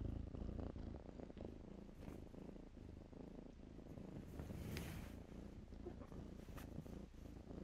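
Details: Playful kittens tumbling in blankets keep up a throbbing low purr, with brief hissy rustles of cloth rising over the rumble midway.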